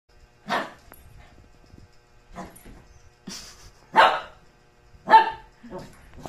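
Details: Shih Tzu dog barking while running zoomies: five short, sharp barks at irregular intervals, with quiet scuffling between them.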